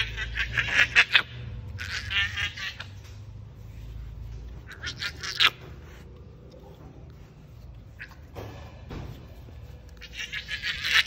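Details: Baby hyena in Bali calling to its owner beside a pool: bursts of shrill, high-pitched squealing chatter come in about five separate bouts, with a steady low hum underneath.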